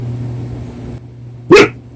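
A Korean Jindo gives one short, sharp bark after a second of quiet low hum.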